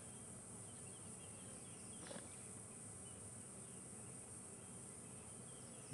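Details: Cicadas keep up a steady, high-pitched hiss, very active on a hot, humid January afternoon with barely any breeze, during a safari drive toward sunset.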